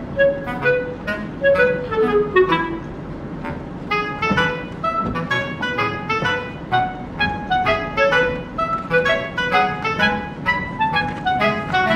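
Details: Bright clarinet-like melody with backing music plays over a low car hum, with no animal sounds.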